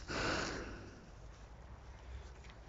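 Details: Black water buffalo met on a walk in England, close up while offered grass: one loud breathy snort, a broad noisy burst lasting about half a second, then quieter breathing and low rustling.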